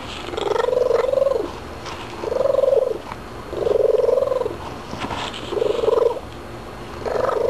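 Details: Pet cat vocalizing after a few treats, a string of five or six arched, moaning mid-pitched calls, each lasting about half a second to a second, separated by short pauses, with faint background noise.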